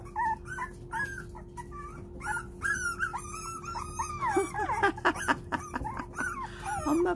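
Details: Four-week-old puppies whimpering, begging their mother to come in while she, tired of nursing, stays cold to make them independent; high, wavering whines rising and falling, overlapping in quick succession, with a steady low hum.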